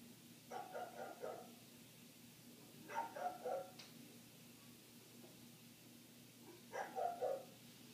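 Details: Barking from a neighbour's dog, muffled through closed windows during a long barking spell. Three clusters of rapid barks, each three or four barks long, arrive a few seconds apart over a steady indoor hum.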